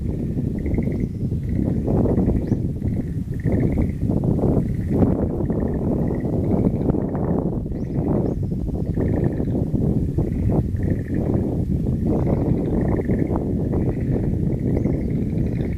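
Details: Frogs calling in a wild plant garden on 11 April 2013: overlapping rows of short pulsed trills at one steady mid-high pitch, repeating throughout, over a constant heavy low rumble like wind or handling noise.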